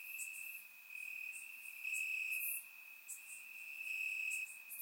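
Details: Crickets in grass on a warm summer night in Bulgaria, taken with a surround microphone, keep up an unbroken high trill that grows louder midway, with quick high ticking calls layered above.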